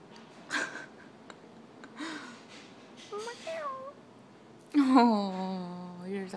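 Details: Lynx point Siamese kitten indoors during a game of fetch with a toy mouse gives a long, drawn-out meow with rich harmonics, starting high, falling, then holding level for over a second, after short bursts of a person's speech.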